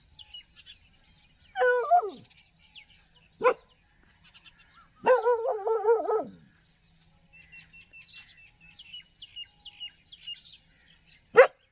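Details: Street dog in a village giving drawn-out wavering whines or howls lasting about a second, then sharp barks, with birds chirping in the background.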